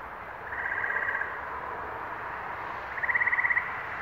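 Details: Two short, pulsed frog trills, the second louder, over a steady background hiss, recorded in New England on 11 May 2023.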